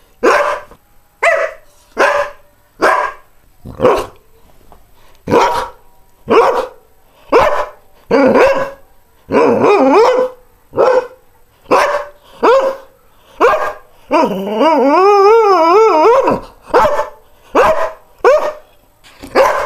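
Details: A greyhound barks repeatedly for about twenty seconds, roughly one sharp bark a second, with a long wavering howl-like cry in the middle before the steady barking resumes.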